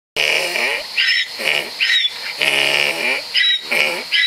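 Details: Donkey braying in a fast see-saw rhythm: harsh, honking notes alternating with higher wheezy squeals, about seven cycles in four seconds, loud and close with no other sounds.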